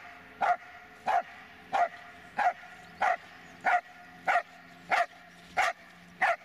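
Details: Barking from Dobermann Magmar Von Der Burgstätte: ten evenly spaced, punchy single barks, roughly one every 0.6 seconds, each clean and strong against a quiet background.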